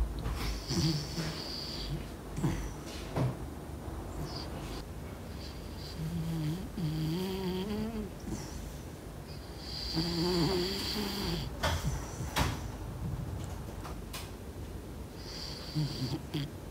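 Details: Miko, a sleeping pet dog, snoring loudly indoors: rough, low breathy snores come in bursts every couple of seconds, some carrying a wavering whine-like tone, with small rustles between breaths.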